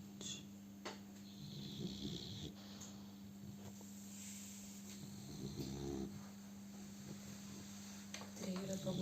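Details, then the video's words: Simba, a German Boxer puppy, snoring while asleep: soft, low breathy snores recur at uneven intervals over a steady low electrical hum, with faint background noises in a small room. "щенок боксера храпит"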